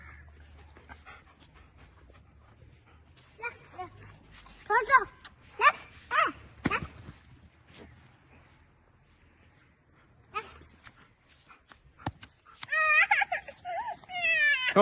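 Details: German Shepherd dog yelping and whimpering in short sharp bursts, then rising into loud quavering whines near the end, while a man speaks in Hindi telling someone to let go.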